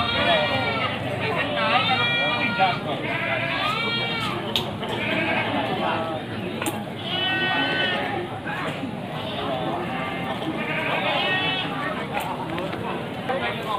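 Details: Male goats, including Etawa goats, for sale before Qurban at Pasar Wage market in Panggul, Trenggalek, 18 May 2020. Wavering, harmonic bleats come in several bursts of one to two seconds. Steady crowd chatter and speech run throughout.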